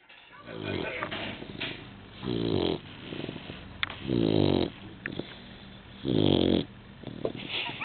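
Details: Rowdy, a newly adopted Labrador Retriever, snores while asleep indoors: deep, rasping harmonic rumbles swelling and fading about every two seconds, with softer breathy snuffles between them.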